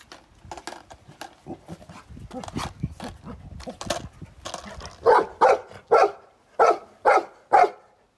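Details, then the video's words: Golden Retriever barking at a skateboard, starting with softer, muffled barks and low rumbling or handling noise, then six loud, evenly spaced barks about half a second apart at the end. "My Golden Retriever barks at skateboards for 2 minutes straight"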